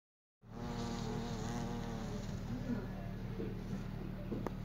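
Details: European hornet queen buzzing, a low steady drone with wavering overtones that rise and fall, continuous after a sudden start, with no other clear sounds.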